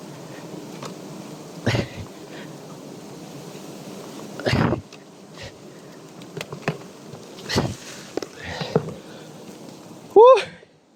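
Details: Wild honey bees swarm around a natural nest high in a tall tree while climbers harvest the honey. A steady, dense buzzing hum runs throughout, broken by several sharp knocks and a brief rising squeal at the end.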